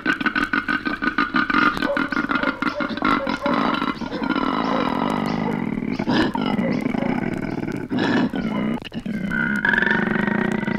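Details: Male koala from Australia, on a 1968 wildlife recording: a long, loud, rough grunting bellow, with continuous throbbing pulses and strong harmonics that surge and dip over about ten seconds, over a steady low hum.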